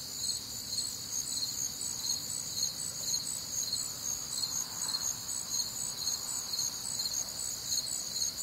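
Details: A summer-night cricket chorus from the humid American Midwest, high rhythmic chirps about two per second layered densely, with a faint mid-pitched murmur rising and fading around the middle.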